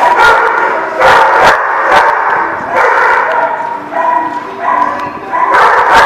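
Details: Several dogs at The Barking Lot on 12/08/17 keep up a steady din of overlapping barks and yips, a loud mid-pitched harmonic chorus broken by sharp percussive bursts about once a second.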